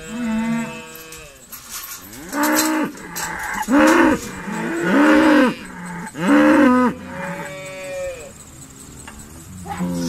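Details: Dexter cows from Ireland's breed calling while being sorted at Stone Meadow Farm; a rapid series of short arched moos, about five in quick succession, overlapping from several animals, then quieter lowing.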